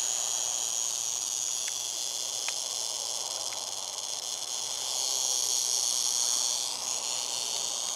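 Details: Eastern diamondback rattlesnake rattling a warning as people approached, recorded in 2009; a steady, dry, high-pitched buzz runs unbroken through the whole stretch, swelling slightly louder toward the end, with a few faint clicks in the background.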